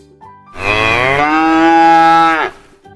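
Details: Cow (Bos taurus), moo.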